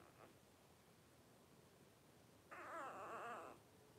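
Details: Blenheim Cavalier King Charles Spaniel puppy, one of a litter of five aged 12 days, born around New Year 2023 to Paris and Spike: a faint early squeak, then a single wavering, quavering whine lasting about a second.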